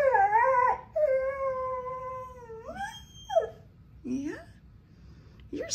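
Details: Pet dog indoors, said to be practising singing after hearing her owner sing, makes a wavering tonal howl that holds steady then bends upward, followed by short sliding whines and a person's voice.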